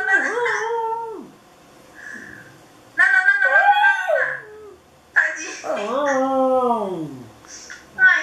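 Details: Dog howling in front of a webcam indoors: three separate howl bursts, each starting high and bending downward in long mournful slides, with quieter gaps between them.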